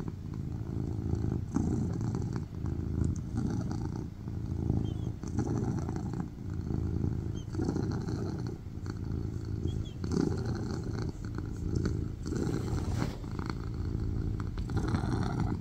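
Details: Loud purring from a tuxedo cat resting on a lap indoors, a steady deep rumble rising and falling in cycles roughly every one and a half seconds, inhale and exhale phases clearly alternating.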